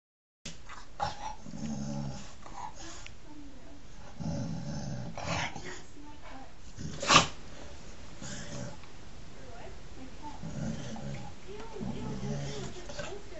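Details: A male English Springer Spaniel makes a run of low, rumbling growls and grumbles, each under a second, in a small room, with one loud, sharp bark near the middle; faint human voices may sit underneath.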